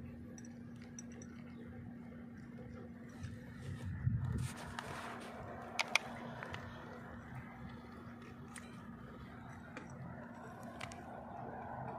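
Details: Quiet room with a steady low hum, a few clicks and handling sounds; no animal voice is heard.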